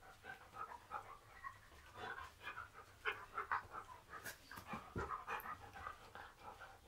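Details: A Husky panting while posing and performing tricks for photographs: touch, chin, hold. Soft, breathy bursts repeat rapidly, about two per second, close and quiet, with faint rustling.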